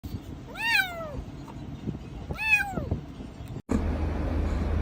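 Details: Domestic cat meowing outdoors: two clear, arched meows with rich harmonics, each rising then falling, about two seconds apart, over steady low traffic-like rumble, followed by a brief dropout and louder background noise.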